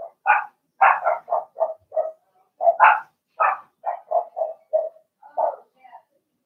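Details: Blenheim Cavalier King Charles Spaniel puppies, a litter of six in an indoor home pen; a rapid run of high, sharp yips comes in two bursts, each of about half a dozen calls, then trails off into a few fainter squeaks.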